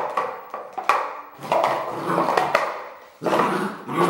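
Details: Red merle Border Collie giving harsh barks mixed with growly, sustained vocalizing, in repeated bursts across four seconds with one brief quiet gap.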